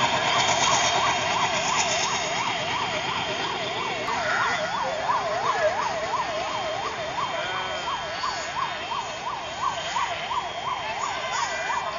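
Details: A wailing siren rises and falls about three times a second over steady engine rumble and passing traffic, with no animal voice.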